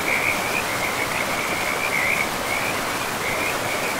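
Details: By a river deep in a moss-covered forest, frogs keep up a rapid, high-pitched trilling in quick clustered bursts, nearly continuous beneath a loud, even roar of flowing water.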